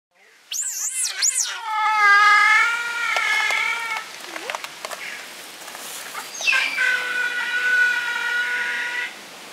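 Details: Giant otter family of six, including two cubs born at Chestnut Centre, Chapel-en-le-Frith, recorded 25 June 2011: sharp rising-falling squeals give way to long, steady, harmonic wailing notes, with a brief break and a second sustained wail.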